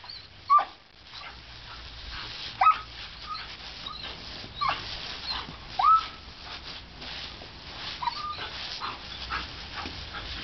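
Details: Female German Shepherd puppy named Boba, playing in the spray of a garden hose, gives short high whines about every two seconds, some with a quick pitch bend, over a steady hiss of running water.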